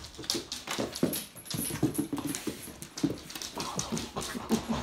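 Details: Labrador Retriever puppies from the Kloster Marienthal kennel, indoors: short low grunts and soft whimpers come in quick bursts over busy tapping and scuffling of paws, with a faint thin tone running high above.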